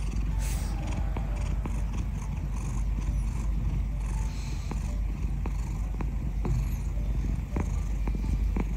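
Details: A ginger cat sunbathing, its fur warmed by the sunshine, purrs in a loud, unbroken low rumble from start to finish. Light scattered clicks and a soft background hiss sit above the purr.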